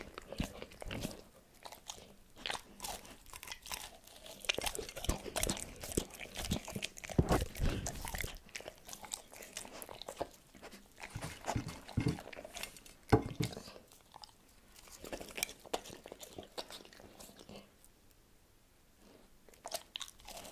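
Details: A dog eats cordon bleu, chewing and crunching with sharp, irregular bites close to the listener.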